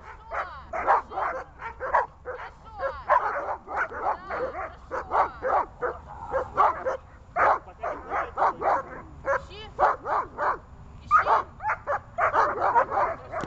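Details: Dog barking on command in a training session, a long series of quick barks, sometimes doubled, with slight whimpering between bursts and a faint human voice.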